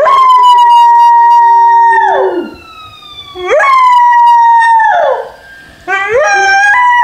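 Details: An American Foxhound puppy howls in long, steady tones that slide down at the end.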